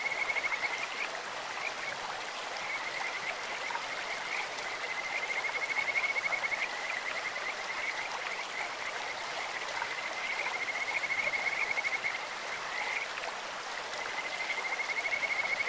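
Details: In a clear-running stream, Kajika frogs give repeated sweet high trills, each lasting one to two seconds and separated by short gaps, a bird- or insect-like voice above the continuous hiss and splash of water.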